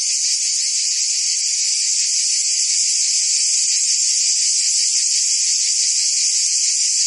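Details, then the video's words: Many cicadas singing on a summer day in Provence, France; unbroken shrill buzzing with faint pulsing texture, steady volume across the whole stretch. "Cicadas singing in France (Provence)"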